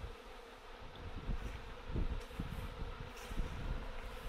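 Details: Honey bee swarm circling and failing to settle, heard as a continuous low drone partly masked by heavy low rumbling and knocking from handling and wind.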